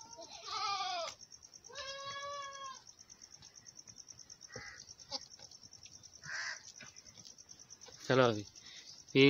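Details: Domestic goats on a farm, a mother feeding milk to her large male kid: two wavering, harmonic bleats in the first three seconds, the second longer and steadier, followed by scattered knocks and clicks over a constant thin high whine.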